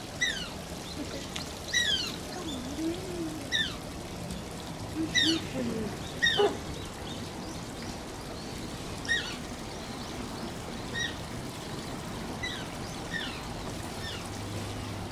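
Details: Repeated high descending squeaks from Shishimaru, an Asian small-clawed otter at Oji Zoo, come in quick succession, thinning out toward the end, with some lower wavering sounds and continuous splashing water behind.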